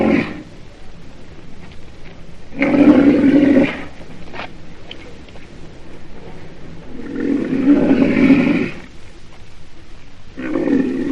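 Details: Rhinoceros bellowing in four rasping bursts spread over about eleven seconds, the middle ones longest and loudest, with low rumbling quiet between calls.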